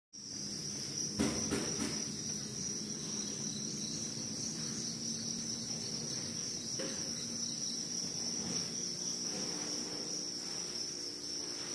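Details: Crickets, described as white females, give a continuous high, steady trill with no breaks, while faint low rustling and a few clicks sound underneath.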